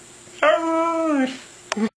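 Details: Siberian Husky 'talking' as if saying 'I love you': one smooth, level howl lasting under a second, slowly sagging in pitch at its end, then a brief clipped yelp-like sound.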